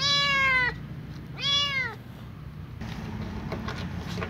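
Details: Little ginger cat meowing at the smell of food it remembers: two clear, harmonic-rich meows, the first long and slowly falling, the second shorter and arched, followed by rustling handling noise.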